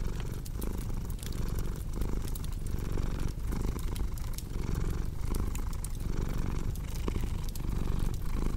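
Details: Cat purring in a low, steady rumble that swells and dips with each breath, roughly every three-quarters of a second, over the sharp pops and crackles of a cozy fireplace.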